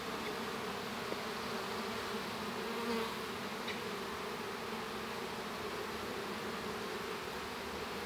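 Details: Steady, droning hum of honey bees inside a hive while a young bee hatches, a dense buzz with a low tonal core that never lets up.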